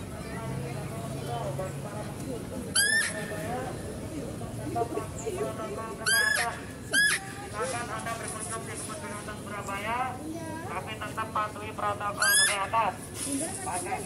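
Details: At a zoo, while a male deer is being fed, a female deer gives shrill, rising squealing calls a few times over a background of human chatter.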